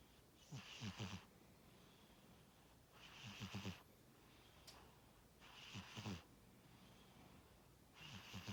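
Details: Tora, a domestic cat, snoring in sleep: four husky, rattling inhalations spaced around two and a half seconds apart, each a short grating rasp over soft breathing hiss, otherwise quiet.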